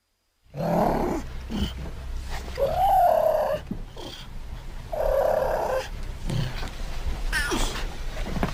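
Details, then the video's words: South American cougar, also called mountain lion, puma or panther, calling: several drawn-out tonal wails separated by brief pauses, one bending and sliding in pitch near the middle, over a low rumbling background. "South American Cougar Sound Effects"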